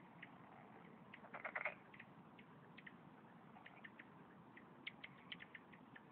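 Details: Korean golden frog, an endangered species found only in Korea, living in low-hill ponds, channels and paddies; with an underdeveloped vocal sac it gives short, smacking kiss-like "jjok" chirps, scattered singly and in a quick cluster, among other frogs.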